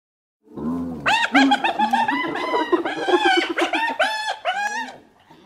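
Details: Hyena. A hyena opens with a low, grunting note, then breaks into its laugh. The laugh is a rapid, uneven string of high, nasal hoots, each note rising then falling, about three or four every second.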